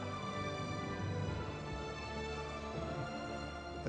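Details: Steady instrumental background music plays throughout, with no animal calls audible.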